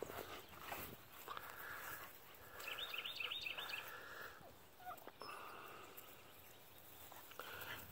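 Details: Litter of Dogue de Bordeaux pups, born January 31, 2017, from champion lines, outside: a high wavering whine with quick trembling steps rises midway, among softer whimpers, rustling and a person talking nearby.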